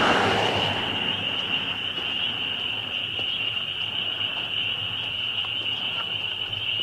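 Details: A loud bunch of spring peepers forming a constant high shrill chorus; a brief rushing noise burst opens the recording before the steady ringing of the frogs takes over.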